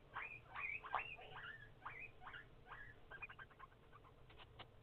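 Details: Several hungry guinea pigs calling for food: a rapid chorus of short, squeaky whistles, each rising and falling, overlapping densely through the first half and then breaking into quicker, chirpier notes over a low background hum.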